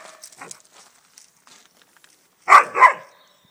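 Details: An Alaskan Malamute in its home garden gives two loud, deep barks in quick succession after faint rustling, confronting a swan walking through the garden.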